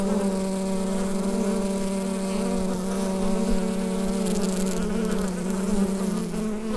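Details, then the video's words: Continuous drone of a bee hive captured on a Rode NT-USB microphone, an even low-pitched buzz with bright harmonic bands holding constant throughout, a faint crackle near the end. "Bee Hive Sound Effect"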